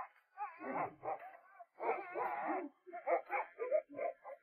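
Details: A playful dog that had been uncooperative whines and yelps after its success. Wavering, harmonic cries come in three bursts separated by brief gaps, with a faint voice in the background.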